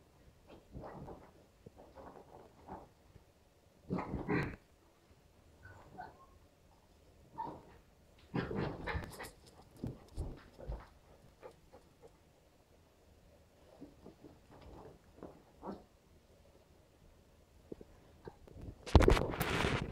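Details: Two West Highland White Terriers, Nappy aged three and Stella aged two and a half months, at play: repeated short growls, grumbles and faint whines separated by quiet gaps, with scuffling noises and a loud burst of rough growling at the end.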